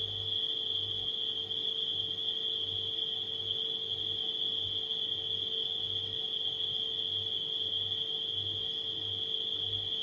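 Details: A continuous shrill cricket chorus at night rings evenly throughout, while a refrigerator's steady hum throbs softly underneath.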